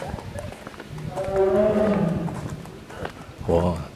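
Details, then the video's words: A white tiger at Naypyitaw Zoological Garden, Myanmar, in June 2014 gives a drawn-out, low moaning howl while visitors talk nearby and wonder whether it is hungry at feeding time. "tiger is howling."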